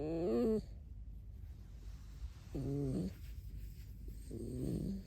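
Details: A pet red fox squeaks three times: short, harmonic, slightly wavering squeals spaced one to two seconds apart, the first loudest, against a low indoor rumble.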